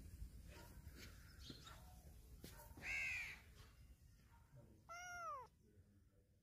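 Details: Loud meowing from a black cat circling close to a person: two quieter calls, a short rising-falling cry near the middle and a downward-sliding meow a couple of seconds later, against low background noise.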